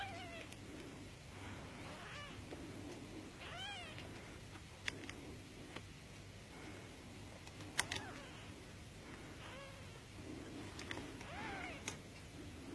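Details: Norwegian Forest Cat kitten, one week old and born very tiny, giving thin, high, arched squeaks, several short calls spaced a second or two apart, over steady low background hum with occasional clicks.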